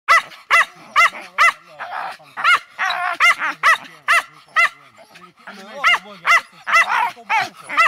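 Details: Dachshunds working a wild boar during a hunt in France; rapid, high yelping barks with bright arched harmonics, several dogs overlapping, about two per second, with brief gaps and a voice nearby.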